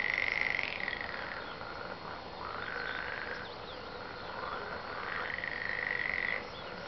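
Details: Chorus of frogs, continuous pulsed croaking in long overlapping trains that swell and fade, several callers at once, no other sounds.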